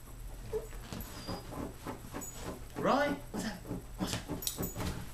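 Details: Indoors, Rhodesian Ridgeback puppy Roy, aged 15 weeks, worked up by scratching on his dog bed, lets out one arching whine midway through bursts of scuffling, thuds and faint voices; Kodak Zi6 recording.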